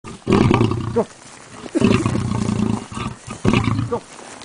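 A lion roars in three deep, rasping bursts, the first two long and the last shorter, with brief pauses between. The sound is heavy and rumbling, strongest in the low register, with a gruff, grating edge.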